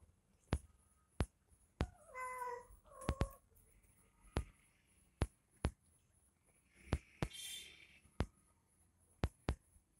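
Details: Domestic cat playing with a kitten; a short, wavering meow near two seconds and a brief second cry just after three seconds, with a thinner rising squeal near seven seconds, over sharp regular clicks and taps throughout.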